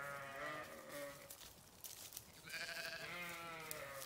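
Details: Two drawn-out, vibrating sheep bleats, each more than a second long, separated by a brief pause, with steady background hiss.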